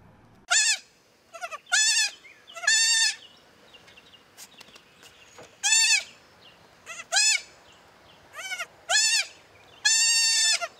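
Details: Goat with a baby goat: high, quavering bleats in separate bursts, roughly nine over eleven seconds, some clipped and short, others drawn out and wavering, with quiet gaps between.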